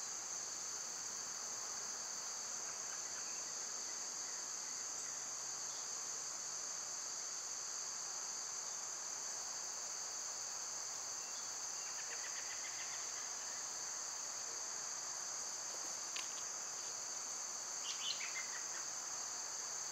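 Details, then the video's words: Summer cicadas produce a constant, high, unwavering shrill drone for the whole stretch, nearly uninterrupted, with only a brief bird chirp near the end. "Cicada sounds"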